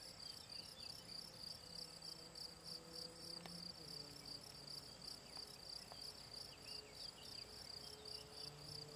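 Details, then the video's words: Rhythmic chirping of a field cricket (Gryllus campestris) beside ponds in the Draga valley, June 18, 2023. Shrill pulses repeat roughly three per second over a quiet, low rustling background. Occasional soft clicks are also heard. "Gryllus campestris POLJSKI MUREN"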